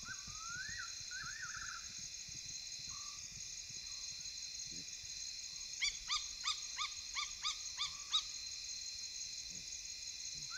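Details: At night in the bush of Kafue National Park, Zambia, a side-striped jackal gives a few rising, whining yelps, then about eight sharp, clipped barks roughly a third of a second apart, over a constant high ringing of night insects.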